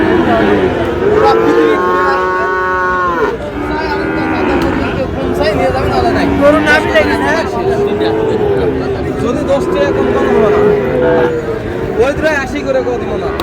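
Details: Sahiwal breed bull calves at Ambari market in Manikganj, 14 August: repeated long, tonal lowing calls, some rising then sagging, several animals calling in turn over a loud background of market crowd voices.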